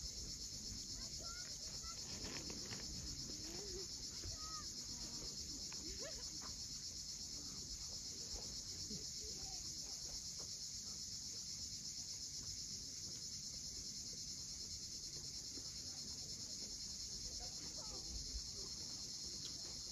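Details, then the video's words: Cicadas at sunset on the steep coast of Cape Fiolent, Crimea: an unbroken, shrill high buzz holds steady for the whole stretch, over a low rumble of waves and a few faint bird notes. "Cicadas at sunset."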